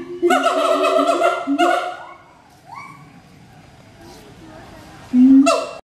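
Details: Siamang pair duetting in captivity at Schmutzer Primate Center, Jakarta, Indonesia, 11:32 AM, April 2012: a long loud harmonic call, softer upward-sliding hoots in a lull, then a sudden loud bark.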